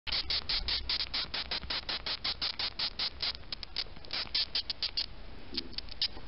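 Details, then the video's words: Male death's-head hawkmoth (Acherontia atropos), stimulated by a fingertip, giving its well-known cry: a rapid series of short, sharp, bright squeaks, roughly three per second, with slight pauses and a faint low hum beneath. "sphinx TDM, et son fameux cri"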